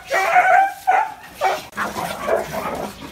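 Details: Deep dog barks: a long tonal bark, then a short one, followed by rougher, noisier barks that fade out.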